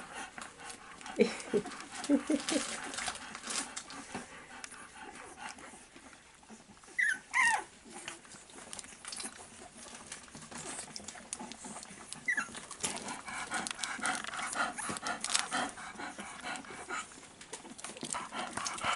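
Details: Staffordshire Bull Terrier mother with her four-week-old puppies from a 34th litter, filmed 11 November 2018; a few brief, high, rising whimpers stand out near the middle against steady rustling and shuffling.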